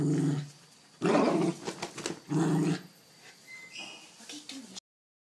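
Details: Dog at play with a blanket, giving rough growls at the start and around one and two seconds in, followed by softer rustling and a brief high whine.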